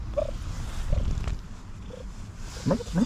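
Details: An overly excited cat making cute sounds while being petted: short tonal chirps repeated roughly once a second, ending in two quick rising, trilling calls, over low rumbling handling noise.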